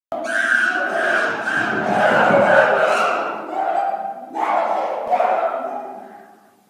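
Several chimpanzees raise a loud, overlapping din of harsh, screaming cries that swell and hold for a few seconds. A brief dip follows, then a fresh burst of calls before the noise fades.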